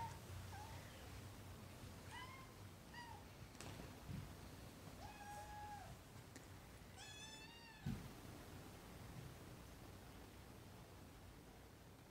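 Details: Kittens nursing from Caroline, a black-and-white tuxedo rescue cat, in Huntsville, Alabama: a series of short, rising-falling, tonal meows, some thin and high, spaced a second or two apart, with a soft thump and low room hum.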